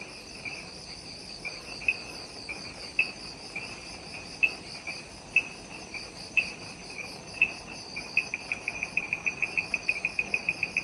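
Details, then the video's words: Twilight insect chorus in a forest on Ishigaki Island, Okinawa, recorded right after sunset; layered high shimmering drones with sparse loud ticks roughly every second, breaking into a rapid run of clicks at the end. "Relaxing Jungle Ambience with Insects"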